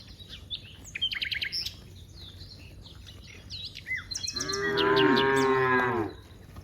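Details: Cow in a herd of dozens in a wide rice field gives one long, loud, harmonic-rich moo near the end, after a stretch of varied chirping and whistling birdsong.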